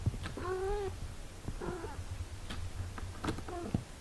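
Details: Domestic cat: a mother caring for her six-day-old kittens. Three short tonal mews with rich harmonics, the first lasting about half a second, the next two briefer and spaced over four seconds, with soft clicks and low rumbling between.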